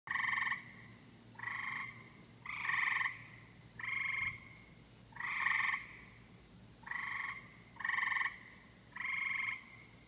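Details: Tree frogs calling on a summer night, nasal grating croaks each about half a second long, repeated roughly once per second in an uneven chorus over a steady high pulsing insect-like trill.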